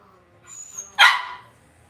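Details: A single loud, bright yap from Cavalier King Charles Spaniel puppies kept in a home puppy pen, preceded by a thin whistly squeak and low rustling.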